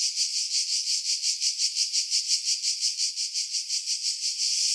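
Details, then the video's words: High shrill cicada buzzing from pines above the sea at Pefkos Bay on Skiros, Greece, in July 2018, swelling and fading in regular pulses close to three per second; windy recording heavily filtered, leaving only the upper tones. "Cicada Sounds, July 2018 Skiros, Greece"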